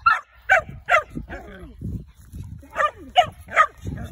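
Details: Hunting-trained dog learning to chase tegu lizards barks rapidly and excitedly, about two sharp yaps per second in bursts, overlapping with a man's talking and handling noise.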